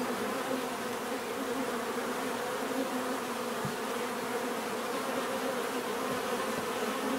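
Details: Constant buzzing of many bees, a full droning hum with a clear low tone and a higher overtone, steady in level, a single faint click midway, no other animals.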